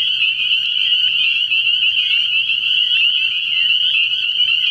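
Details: Spring peeper chorus from a frog pond at night early in the year: piercing high peeps from many frogs overlap into a constant ringing band, with a faint low hum beneath.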